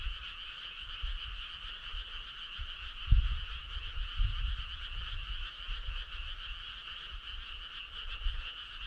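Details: Frogs calling in chorus on a summer night in the countryside, a continuous fine-pulsed trill in a mid and a higher band, with low background rumble and a sharp thump about three seconds in.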